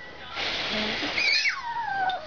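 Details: A Chihuahua throwing a fit squeals indoors in high, harsh tones that end in a whining note sliding steadily downward, while a person talks softly nearby.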